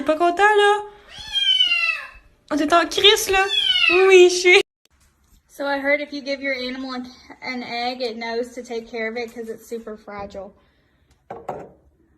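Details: Domestic cat meowing indoors: loud, drawn-out harmonic yowls, several sliding downward in pitch, then a run of shorter wavering meows separated by brief pauses, ending with one faint call.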